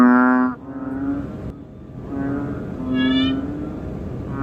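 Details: Banded bullfrog (ễnh ương) filmed close-up, giving a few sustained, humming, harmonic-rich notes. One rising, pulsed call from another frog cuts in midway.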